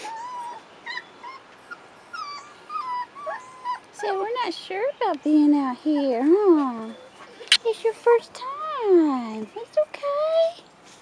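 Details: Several 4.5-week-old Rottweiler puppies on their first outing outdoors whine and yip in rising and falling arcs that crowd together mid-clip, with people speaking in the background.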